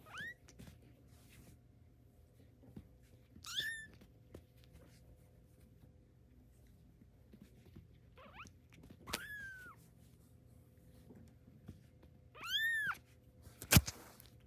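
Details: Tabby kitten during its first steps mews four times over about fourteen seconds, each call a thin, high, downward-sliding cry, with quiet gaps between and a sharp click near the end.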